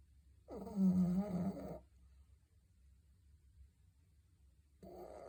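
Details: Pet dog snoring heavily indoors: a loud, rasping, rumbling inhalation lasting over a second, then quiet breathing, and another snore beginning at the end.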